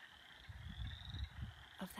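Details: Wood frogs chorus in a sunny spring forest pond, giving low, rapid, duck-like barking clucks overlapping in steady rough pulsing; some brrr trills among them may be chorus frogs.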